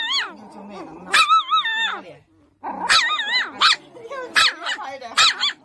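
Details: Husky puppy making its demanding, arguing bark: long wavering, warbling yowls that rise and fall, broken by sharp bark-like bursts in quick succession, with a brief pause midway.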